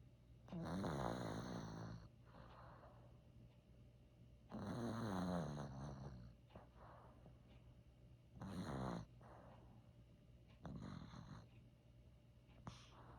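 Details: Maltese dog Joker, born 1 December 2015, snoring indoors, a habit that started only recently; five rasping, rumbling snores roughly every three to four seconds, each swelling then fading, with quieter breathing between.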